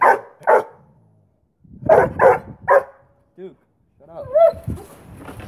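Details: A 9-month-old Boweiler puppy gives sharp, mid-pitched barks in quick pairs into the face of a 3-year-old Rottweiler that is holding a stick under its paw during play, with a person speaking between the barks.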